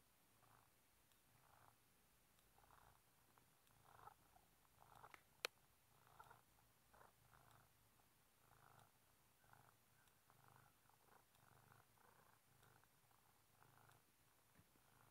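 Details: Velo, a house cat stuck in a tight space behind a bookshelf, purring continuously in regular soft pulses roughly twice per second, with one sharp click midway and faint room noise.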